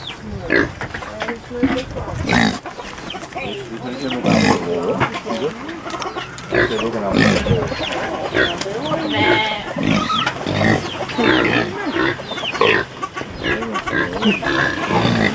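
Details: Kunekune pigs being fed on a sheep farm on the Pontweg, Texel, in late September 2019: dense overlapping grunts and squeals throughout, with people talking nearby.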